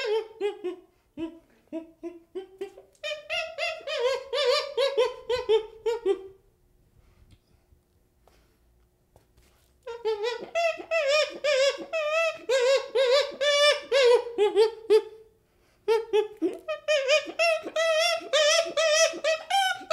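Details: Baby chimpanzee producing long runs of fast, pulsing hoo-hoo calls, about two per second, in three bursts separated by quiet gaps.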